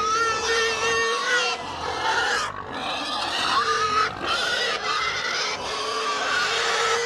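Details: Several pigs of a herd scream almost without pause, long harsh harmonic squeals with wavering pitch, each lasting one to two seconds, broken only by tiny breaths.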